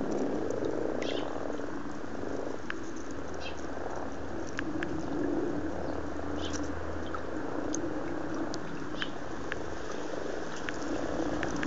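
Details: Very amorous frogs in a garden pond at Blarney, County Cork, Ireland, February 2012: a steady, low purring croak chorus from many frogs overlapping continuously, with occasional soft clicks and splashes.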